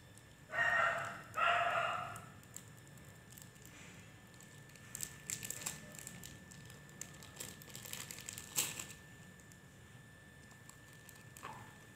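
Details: Samoyed dog eating ice cream lets out two short, high, harmonic yelps in quick succession near the start. Crinkling and scattered clicking and tapping sounds follow in a quiet indoor room.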